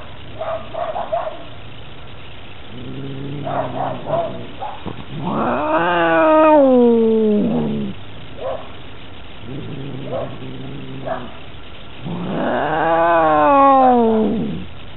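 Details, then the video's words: Domestic cat fight recorded on a collar camera: low grumbling growls alternate with long, descending, wailing yowls that swell loud twice, separated by short moaning bursts. "Epic Cat Fight Caught On Cat Collar Cam"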